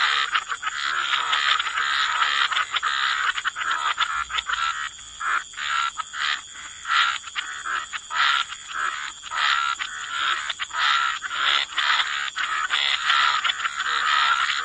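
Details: Croaking frogs in a waterside wetland, many callers giving grating, pulsed croaks in irregular bursts, with brief clearer notes standing out, above a continuous thin high-pitched drone.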